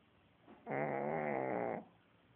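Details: Sleeping dog snoring heavily, one drawn-out buzzy, rattling snore lasting about a second, rich in stacked tones, set against a quiet indoor background.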